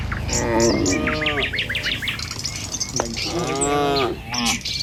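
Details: Herded village cattle walking a country road at morning, giving two sustained moos with rich overtones, one near the start and one near the end, over a backdrop of busy bird chirps.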